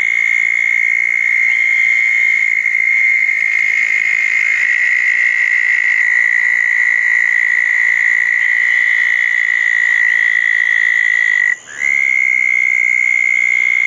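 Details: Southern toads calling at a pair of small dug ponds on a wet night after a thunderstorm, June 10, 2014: long, steady, high buzzing trills held for many seconds, with a second trill at a slightly different pitch overlapping, briefly broken near the end.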